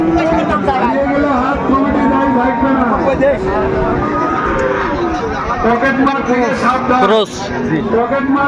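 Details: Bull calf of Friesian or crossbred stock at Dinajpur's Raniganj market, 28 November 2024, gives a drawn-out, level moo lasting about two seconds, surrounded by busy market talk and haggling.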